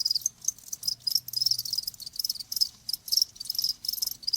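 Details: Cricket sound intended to ease tinnitus: high pulsed chirps in uneven bursts, some closely spaced and others separated by short gaps, over a faint low hum.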